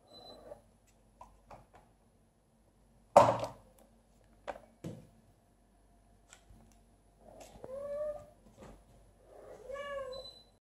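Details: Vibi the kitten inside an empty aquarium, giving two drawn-out meows that rise and then fall, after scattered knocks and a loud thump against the glass; quiet room otherwise.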